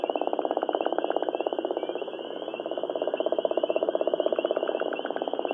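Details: Gopher frog (Rana capito) of Georgia gives a long, deep, snoring call made of rapid throbbing pulses.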